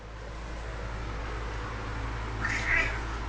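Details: A house cat being asked to "talk" lets out one brief, rising meow near the end after a stretch of steady room hum and noise.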